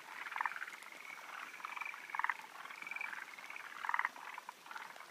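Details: Forest green tree frogs (Zhangixalus arboreus) give short, rattling, chuckling croaks in quick overlapping bursts from several callers; males awaiting females during spawning season, 16 June 2013, Japan.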